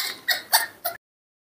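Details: Newborn baby monkey suffering a recurring illness, heard at morning feeding time with a new bottle. It gives four short, high, harmonic squeals spaced about a quarter second apart, then silence.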